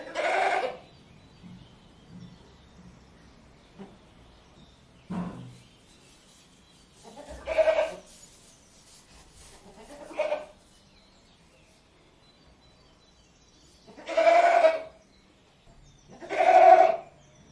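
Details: Goat calls spaced several seconds apart: five short, nasal bleats, the later ones louder, over quiet background with faint low rustling between calls.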